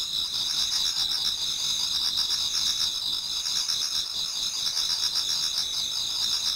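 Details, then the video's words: Toward dawn in autumn, many insects chorus in a Japanese garden, producing constant high ringing trills stacked in bands, with rapid faint pulsed chirping woven through. "Autumn Insects voice Towards dawn"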